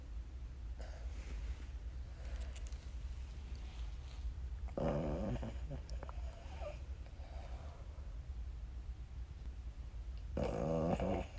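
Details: A Boston Terrier snores very loudly with low, rumbling, rasping breaths and snorty bursts over a steady low background hum.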